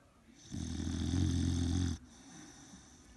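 An Old English Bulldog snores with a deep, rattling rumble that swells and then abruptly stops.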